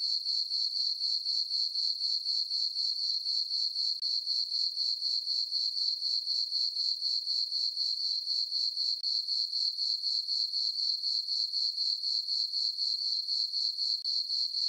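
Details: Summer-night crickets in a meadow on a farm beneath the full moon and dark skies, giving a continuous high-pitched pulsed chirp at roughly four beats a second, very regular throughout.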